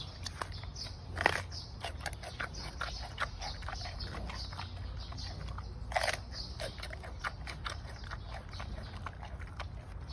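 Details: Giant panda eating bamboo shoots, close-up: a run of sharp crunching snaps and wet chewing clicks, with two louder cracking bites around the first and sixth seconds, over a quiet low hum.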